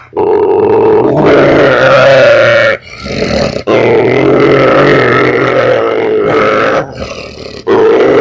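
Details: German Shorthaired Pointer that growls habitually, even when giving kisses; loud sustained throaty growling in long stretches broken by a few short pauses.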